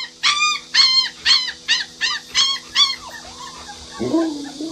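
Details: Pet Alaskan Malamute Luoluo, upset by its owner in a mask, whimpers in a run of eight short high-pitched yips at an even pace, then breaks into a lower, rising howl at the end.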